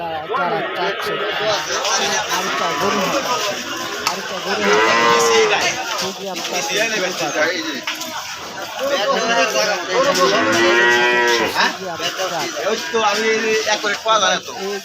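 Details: Holstein Friesian calves at a cattle market in Aricha, Bangladesh, mooing repeatedly with drawn-out arching calls among many animals, over constant crowd chatter, speech and background music.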